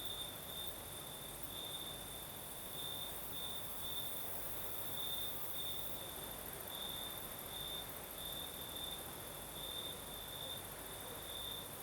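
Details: Crickets sing through the night on the Crimean south coast in a night breeze, a shrill continuous trill that brightens in rhythmic bursts, with constant low hiss beneath and a faint high insect hum above.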